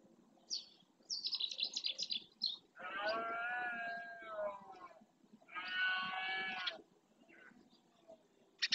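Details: Rutting red deer in the marsh of Doñana National Park, Spain, males roaring to claim territory: two drawn-out, harmonic roars of over a second each, preceded by a rapid series of high chirping notes.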